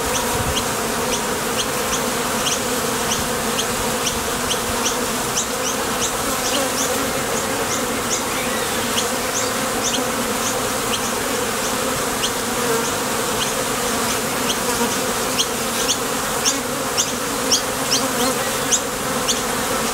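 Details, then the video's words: Honey bees at the entrance of a Top Bar Hive, flying out to forage for nectar and landing back, give a steady, dense droning hum with layered low tones, over a continuous background of faint, quick high ticks. "Sonido de las Abejas"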